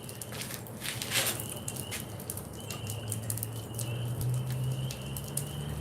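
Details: Spring peepers (Pseudacris crucifer) call as a distant background chorus, high thin peeps merging into a steady whistle, heard over crackling fire during a wood-kiln firing outdoors.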